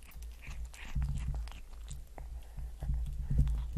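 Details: A cat purrs as it eats shrimp. A low, pulsing rumble is mixed with frequent wet chewing and biting clicks in a small, quiet room.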